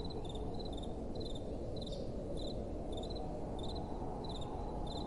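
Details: Crickets chirping at night in short high pulse groups about every half second, slightly sparser here, with continuous soft wind noise underneath.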